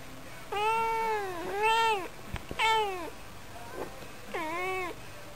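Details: Pet cat named Yukke, indoors in a small room, gives four drawn-out harmonic meows, each dipping then rising and falling over about a second, with short pauses between and a brief click in the middle.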